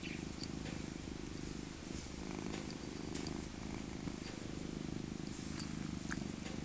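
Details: Elderly female tabby cat named Maca, born 2000 and rescued as an abandoned kitten from a park, purring steadily while cuddled in her soft winter coat; continuous low rumbling throb with a few faint clicks and rustles above.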